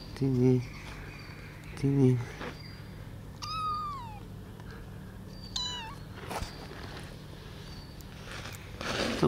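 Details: Baby kittens eating cat food for the first time, taken outside to eat; two high, falling meows, each under a second long, around mid-clip, with a person's cooing speech and low steady hum.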